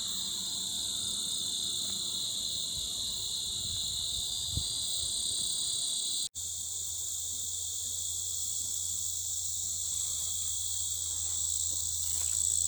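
A loud, unbroken insect chorus, a shrill high-pitched buzzing that fills the air without pause.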